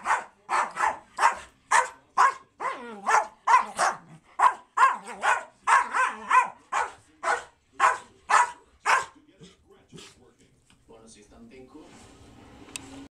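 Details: American Eskimo dogs Cala and Connie play fighting, trading loud sharp barks and growly yaps in a rapid run of about two per second for nine seconds, then breaking off into quieter scuffling sounds.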